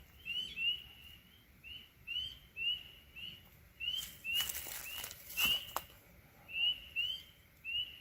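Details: Chorus of spring peepers out unusually early in spring, ahead of the chorus frogs: short rising whistled peeps, roughly one per second, several overlapping callers, with a brief burst of broadband rustling noise midway.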